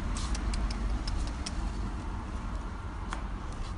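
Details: Steady low engine rumble with a quick run of sharp ticking clicks early on and one more click near the end; no animal voice.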